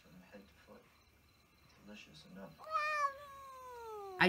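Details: Soft human speech and rustling, then a cat lets out a clear meow that starts high and slowly glides downward for over a second, followed by a sharp click.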